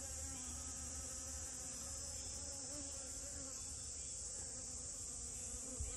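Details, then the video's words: Honey bee visiting rose moss, humming evenly with a low tone and clear overtones that waver slightly, set against a steady bright hiss. "꿀벌과 채송화"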